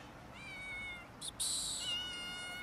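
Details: Cats and a kitten quarrelling over food: a drawn-out, slightly wavering meow, then a short harsh hissing burst, followed at once by a second higher, steadier meow that fades out.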